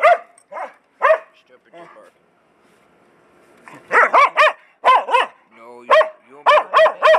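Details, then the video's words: Pet dog said by its owner to bark too much, scolded to be quiet: bright, harmonic barks fired in rapid runs of two or three, a quieter lull in the middle, then dense volleys again, with human speech faintly between. "my dog barks too much"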